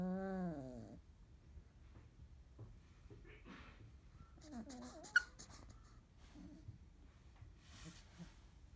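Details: Field-type Labrador Retriever puppies, 30 days old, indoors after waking, nursing, eating and playing together until sleepy; one short wavering, harmonic whine in the first second, then quiet shuffling, soft thumps and faint rustling.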